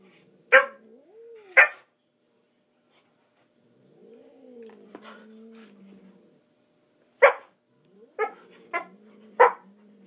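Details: Murphy the dog barking while trying, without success, to play with a cat: sharp, loud single barks spaced irregularly, with soft whiny rising and falling tones in the quiet gaps between them.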